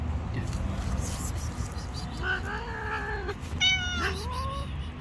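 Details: Hungry street cat asking for food while fearful of other cats gives two drawn-out, wavering meows, the second higher and more strained, over a constant low background hum.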